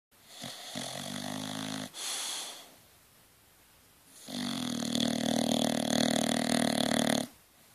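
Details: Bronson, a Dorset bulldog, asleep and snoring: a harsh rasping snore of over a second, a short breath, a quiet pause, then a longer, louder rumbling snore lasting about three seconds.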